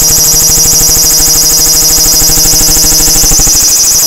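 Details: Large brown cicada, Graptopsaltria nigrofuscata, singing: a loud, continuous high-pitched sizzling buzz that pulses rapidly and steadily throughout, with a rough low throbbing underneath.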